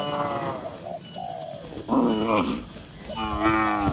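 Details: Tame cattle among dozens gathered in a farm barn, calm herd; two short, rough harmonic moos about a second apart, mid-clip, then a longer drawn-out moo near the end over a steady barn hum.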